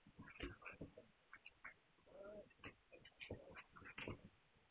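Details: Young Hungarian Vizsla puppies, 9 March 2021. A burst of rapid squeaks opens, then a drawn-out nasal whine. Scattered short yelps and chirpy cries follow in quick succession.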